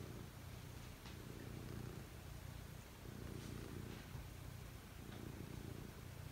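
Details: Domestic cat settling down to sleep, purring steadily indoors: a low, rumbling purr that swells and fades with each breath, roughly one cycle per second, with faint soft rustles.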